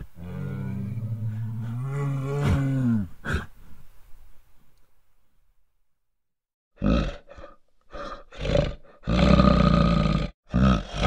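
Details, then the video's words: A bear in the wild gives a deep, throaty growl rising into a harmonic roar, then after a pause a burst of rough, breathy snarls and huffs in quick succession. "Marait de urs si Sunete de urs. Sunetul ursului."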